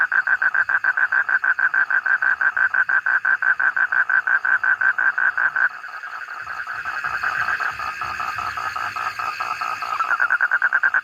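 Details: A frog calling in a fast, steady train of sharp, same-pitched pulses, several each second. Midway the pulses give way to a hissing, noisy stretch of about four seconds, then the pulsed calling resumes.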